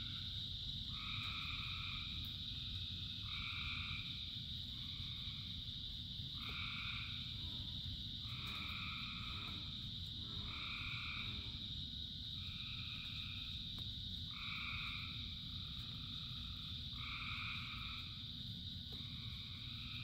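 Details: Thousands of frogs singing in the rain. Short tonal calls, each under a second, overlap and follow one another almost continuously, about a dozen in twenty seconds, over a persistent high-pitched drone and a thick low wash of rainfall.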